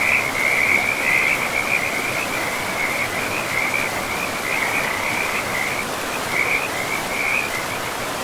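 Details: Frog chorus at a forest river, with rapid, high-pitched trilling croaks running almost continuously in a wavering band with brief pauses, over a constant wash of flowing water.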